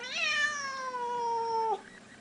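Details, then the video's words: Pet Siamese cat indoors, from a blue point and seal point pair, giving one loud drawn-out meow of nearly two seconds, rising at the start then holding a steady slightly falling tone before stopping abruptly. "Siren and Pogo - Siamese cats"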